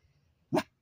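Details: Toby, a Labrador Retriever, trying to swim: one short, sharp bark in otherwise quiet surroundings, with a person calling to him just before.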